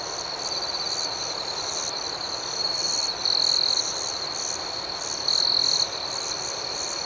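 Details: Crickets calling at night with an unbroken high shrill drone, interrupted twice by louder, sharper trilled chirp bursts lasting about half a second each.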